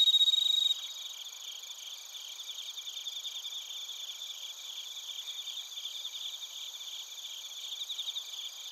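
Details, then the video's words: Bell crickets and other crickets in Narita, Chiba, Japan, recorded on a TASCAM Portacapture X8: a loud, steady high trill for the first second, then a dense shimmering chorus of overlapping high chirps and pulsing trills. "スズムシとコオロギの鳴き声 - Chirping of crickets"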